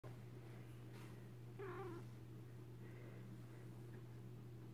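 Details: Domestic cat trilling: a single short, warbling, rolling chirrup rising and falling, heard once about midway, over a steady low electrical hum with otherwise quiet surroundings.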